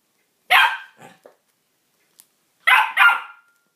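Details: Dog barks at his new toy, one loud bark followed by soft scuffing, then a quick double bark after a short silence; no other sounds.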